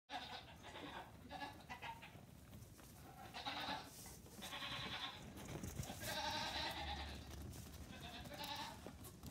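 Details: Nigerian Dwarf goat kids, three days to two weeks old, among 48 born on a farm within two weeks, let out together during a morning pajama party; overlapping high bleats from several kids over steady barn background noise.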